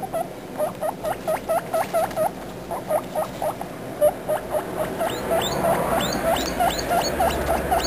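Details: Guinea pig babies making noise together, a string of short squeaky chirps repeated about twice a second, later joined by higher, sweeping whistles as the chatter grows busier and overlapping.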